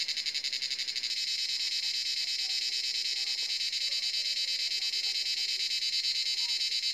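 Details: Forest cicadas at sunset, near seven in the evening, keep up a continuous shrill metallic buzz with quick rhythmic pulsing, while soft low whistle-like notes from other animals flicker faintly underneath.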